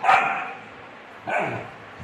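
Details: A Rottweiler puppy barks at a bucket, giving two sharp, high-pitched barks about a second apart.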